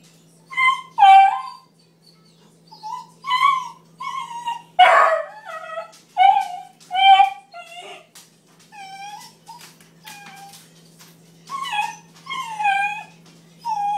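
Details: Trapper, a young Bluetick Coonhound puppy, angry at a baby gate put up to let the cat eat undisturbed, yells in a steady series of high, downward-sliding whines and yelps, about one every second, with a low steady indoor hum beneath.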